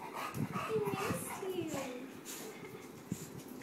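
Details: Eight-month-old English bulldog, excited as its owner comes home, giving high, thin whining glides that slide downward, broken by snuffling and panting noises and light household background.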